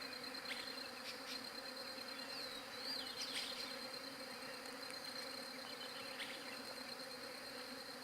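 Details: Bees recorded on a Galaxy J7 Prime 2 phone: a steady, droning hum with layered low and high tones runs through the whole clip, while faint bird chirps and short twittering notes sound above it.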